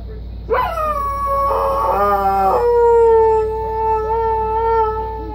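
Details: A pet dog howls at a phone. One sustained howl starts with a sharp rising onset, briefly turns rough and yippy, then settles into a long, steady, slowly falling tone.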